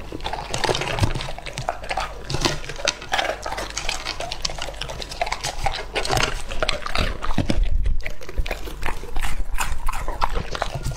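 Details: English Labrador Lucky, two and a half years old, feeding on raw meat: steady wet smacking and gulping chews about twice a second, with liquid slurps and a loud low thud near the eighth second.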